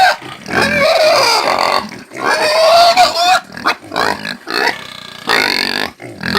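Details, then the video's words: Squealing caipira pig, screaming in uneven harsh bursts mixed with shorter choppy squeals and grunting breaks, loudest in the first half. "SOM DE PORCO CAIPIRA - SOM DE PORCO - EFEITOS SONOROS DE PORCO PIG SOUNDS - DE PORCO GRITANDO"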